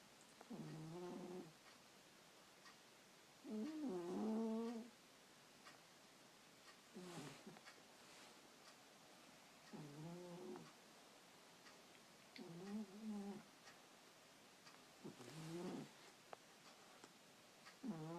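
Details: Domestic cat asleep at night, snoring loudly enough to keep its owner awake; tonal, nasal-sounding breaths with stacked overtones recur roughly every three seconds, some drawn out and wavering, in a quiet room.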